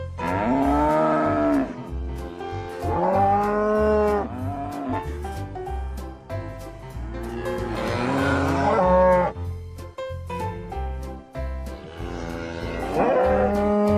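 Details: Oxen lowing in four separate moos spaced a few seconds apart. Each is a deep, hoarse bellow that swells and then sinks in pitch, with quiet gaps and a low musical backing between calls.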